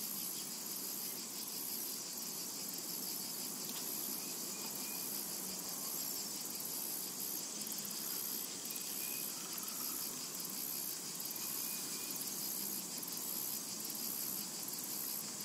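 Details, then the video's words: Continuous high, sizzling insect drone of cicadas in a summer meadow, even in loudness and pulsing faintly, with only one or two soft bird notes barely heard beneath it. "Summertime and Cicada Ambience"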